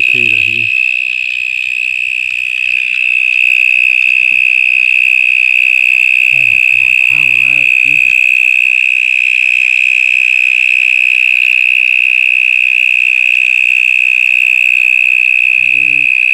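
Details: Very loud cicada hidden inside a stormwater drain, giving a steady, piercing, unbroken high buzz that holds one pitch throughout, with a few brief low voiced sounds in the background near the start and middle.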